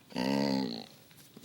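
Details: Duke, a pet dog, 'talking' to his owners: one drawn-out, moaning vocal note lasting about two-thirds of a second, steady low pitch with rich overtones, then quiet room noise and faint voices.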